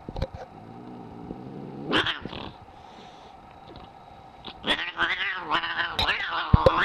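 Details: Very angry house cat starting with a low, rumbling harmonic growl for two seconds, then a quieter pause before a series of loud, wavering, rising-and-falling yowls that close the recording.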